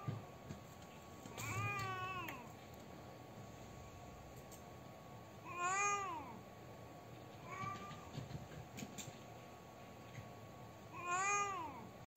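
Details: Domestic cat crying with sad, grieving meows: four drawn-out, harmonic wails spaced a few seconds apart, each rising then falling, over a steady low background hum and faint hiss.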